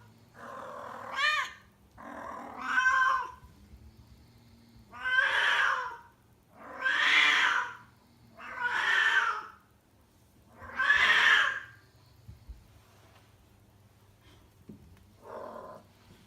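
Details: Kuro, a rescued domestic cat in heat, calling loudly all day before a scheduled spay, at home in Tendo, Yamagata; long drawn-out yowling meows roughly every two seconds, rising and falling, with a low steady hum beneath.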